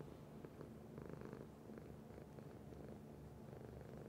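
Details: Domestic cat purring steadily indoors; a low, continuous rumbling purr with faint rhythmic pulsing throughout, no other clear sounds.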